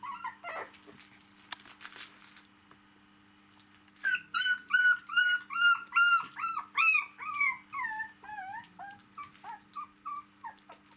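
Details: Domestic dog puppies, four weeks old, tussling with their mother lying on her back; near-quiet opening, then a loud burst of clear, bending whine-yelps repeated roughly twice a second, fading toward the end, with a faint electrical hum.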